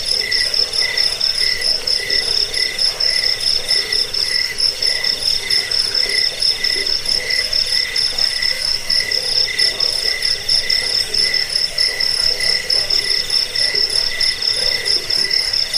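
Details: Crickets, known locally as jangkik, in a recording meant to repel rats and train songbirds: continuous shrill chirping from many callers, with bright high trills pulsing steadily over a faint lower hum throughout.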